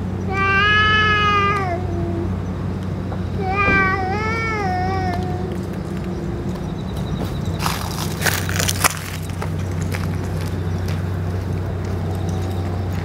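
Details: Stray boss cat, after eating food and medicine, gives two drawn-out harmonic meows about two seconds apart, the second wavering in pitch; steady low hum underneath and a burst of broadband noise later.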